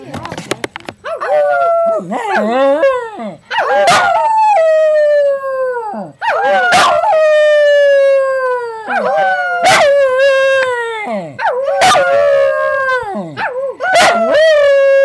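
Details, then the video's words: Pet dog 'singing': a series of long, sustained tonal howls with rich harmonics, each sliding down and wavering before levelling off, repeated several times with short sharp bursts of noise between them. "Singing Dog"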